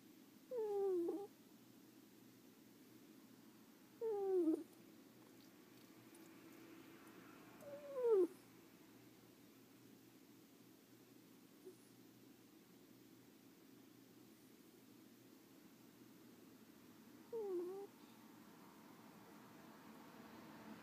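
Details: Sleeping pet ferret snoring indoors: four short squeaky nasal whistles, each sliding downward and lasting under a second, spaced irregularly several seconds apart over a quiet room hum.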